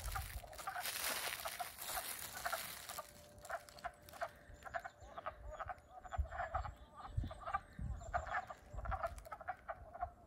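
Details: On April 7 in Middlesex, Vermont, newly awakened wood frogs in spring give a chorus of short, hoarse clucking croaks that overlap like quacking ducks. This is the first calling after they emerge.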